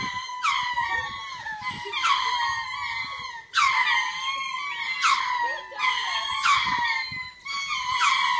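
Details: Territory calling by a group of lemurs, performed twice daily to take ownership of the land and drive off birds or predators: repeated harsh, rising screams roughly every one to one and a half seconds over a steady high wail.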